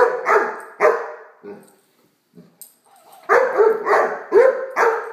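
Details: Great Dane puppy named Blacky playing with a toy dog, giving loud sharp barks, two early then a burst of four more after a short pause, with a brief quiet gap between.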